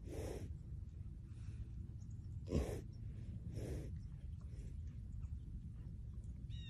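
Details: Two rescued cows, Evie and Pepe, sleep and dream peacefully at a home sanctuary, giving soft, breathy snorts and puffs about once a second over a low rumble.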